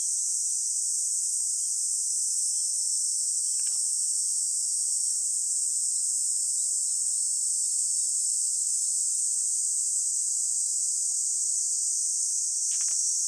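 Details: Cicadas drone in a steady, high, hissing buzz that never pauses in grassy summer scenery on Songi-do island, Korea, at 10:15 on 11 July 2022.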